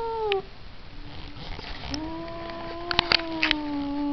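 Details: A cat ends one falling wail, then after a short pause holds a long, low, steady yowl that sags slightly in pitch toward the end, with a few faint clicks.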